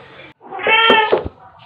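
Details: Pet cat, Pepper the black cat or Kofi the torby, playing with fluffy toys indoors, gives one loud harmonic meow that rises then falls over about half a second, with faint background murmur before it.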